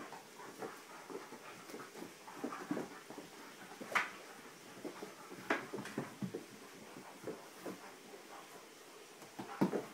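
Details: Gracie and Bentley, two dogs at play, making scattered short growly grunts and huffs with panting breaths, and a few sharper broadband bursts near the middle and end.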